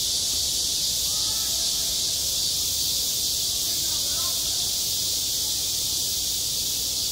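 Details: Cicada song in summer at a school playground, an intense uninterrupted high-pitched buzz, with faint human voices drifting in the background.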